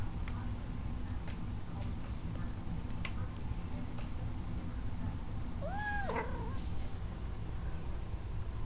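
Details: Young male kitten, newly brought home, gives one short rising-then-falling meow midway through, over a steady low household hum with faint clicks.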